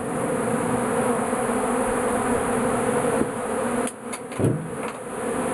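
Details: Bees swarming in a shed over melting beeswax; constant buzzing drone, interrupted near the end by a few knocks or handling thuds.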